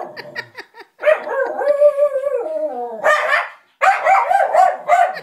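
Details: Lulu the dog, not liking a puppet, lets out a long wavering howl-like whine that slides down, then breaks into a run of rapid harsh barks.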